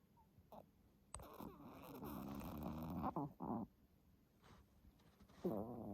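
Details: Stella, a 10-month-old Pomeranian, snores in her sleep, a habit that began after reverse sneezing was noticed; raspy, rumbling breaths swell for about two seconds, then come as shorter bursts, with a final harsh inhalation indoors.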